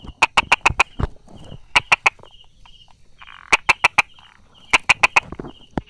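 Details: Brauer's tree frog sheltering among rock crevices and small grass, 22 July 2016, 10:44: loud clicking bursts of three to five fast taps, separated by short quiet gaps, with a high pulsed buzz underneath.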